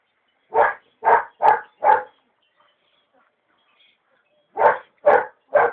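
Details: A Belgian Malinois puppy, not yet through its tooth change, gives short, punchy mid-pitched barks, four in a rapid run then three more, during brief bite training with a tug from a distance.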